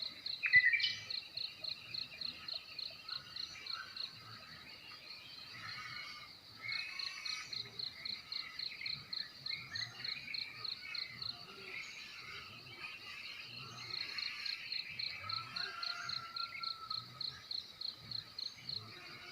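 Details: Morning in a Timor village, Nekmese, Ki'e district, NTT: steady high cricket chirps pulse several times a second throughout, with scattered birdsong, a brief louder call near the start, and soft rural background.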